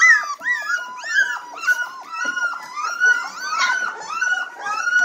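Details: Red Golden Retriever puppies, three weeks old, ready to nurse, squeaking and whimpering in quick overlapping high cries, several pups calling at once indoors.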